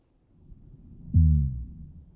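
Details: A black drum gives a single deep, booming croak with downward-sloping frequency bands, lasting about half a second over low rumble. It is recorded underwater and is very loud, with a source level of about 165 dB re 1 µPa.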